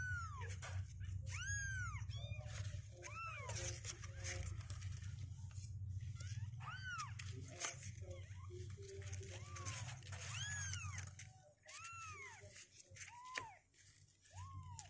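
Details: Two-week-old kittens that refuse to sit in the box call with high, arching meows spread across the recording, some loud and others softer, over a low hum and occasional clicks and rustling.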